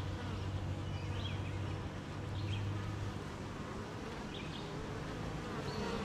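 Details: Rain-morning hum from a beehive of honey bees: a constant low buzz with a brief stronger tone in the middle, and a few soft bird chirps in the background.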